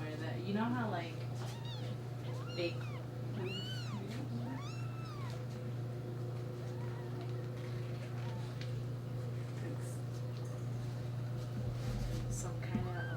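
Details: Four-day-old kittens from a neighbour's litter, jostling and pawing at each other over their mother to nurse; a series of thin, high, arching mews repeated every second or so, over a steady low hum, with a person talking softly.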